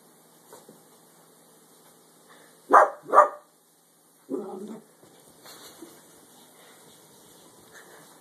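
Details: A curious dachshund investigates a clothes basket while being urged to crawl inside, giving two sharp barks close together, then a lower, shorter woof, with faint speech around.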